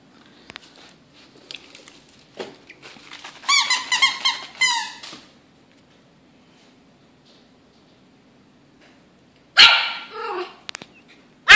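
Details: Chester, an 11-week-old Yorkshire Terrier puppy indoors, fighting a rope toy: a burst of high, squeaky yaps around the middle, then a loud sharp bark near the end, with rustling and toy noises between.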